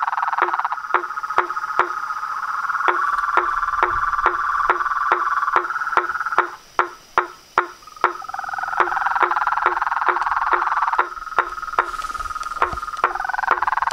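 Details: Toads, frogs and treefrogs at a reservoir pond by a house at dusk: a steady trilled chorus with regular woodblock-like knocks, briefly thinning to a few isolated knocks midway before the trilling swells again.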